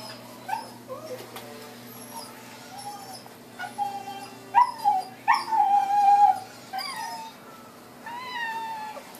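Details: Female blue merle Miniature Australian Shepherd puppies, aged four weeks and four and a half months, giving high thin whimpers and yips, several rising then sliding down, in bursts around the middle, with a soft background hum.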